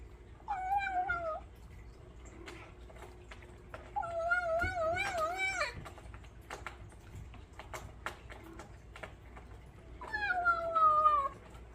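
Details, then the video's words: Bengal kitten vocalizing while eating: three drawn-out, wavering, moaning meow-like calls about a second long each, with chewing clicks and faint crunching between them indoors. "Bengal kitten making funny noise while eating"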